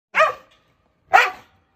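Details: Jindo dog described as aggressive, having bitten the shelter head who fed it for three years, during a rescue transport at a shelter in Ulsan: two sharp, harsh barks about one second apart.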